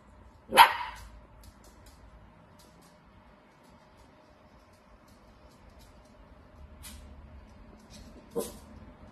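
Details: Dachshund giving a single sharp, loud bark, followed by a long quiet stretch with faint household sounds and a second, softer bark near the end.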